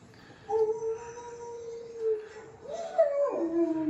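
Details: Pet dog Cody howling indoors along with a dog on television: a long, steady, tonal howl held for about two seconds, then a second howl that rises and bends downward, with faint background sound from the TV.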